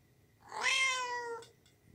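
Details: A single drawn-out kitten meow, strong and tonal, holding steady then gently falling before cutting off, about one second long.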